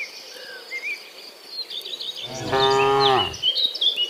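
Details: Afternoon herd of dozens of cows returning from the fields to the pen; after bird twitters and insect buzz, a single drawn-out, slightly falling moo of about a second sounds.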